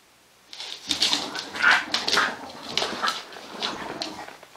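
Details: An English Bulldog mother playing with her puppy on a play mat gives soft, broken whines and grunts in irregular bursts.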